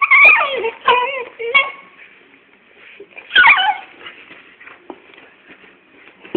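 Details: Little and big pet dogs play fighting: high yelping yips and whiny squeals in quick bursts at the start, another sharp burst after a pause, with soft scuffling between.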